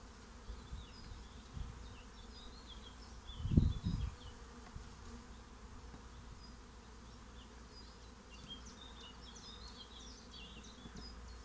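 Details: Low continuous hum of a honeybee swarm getting a new home, with a loud rustling bump midway and light bird chirps scattered in the background.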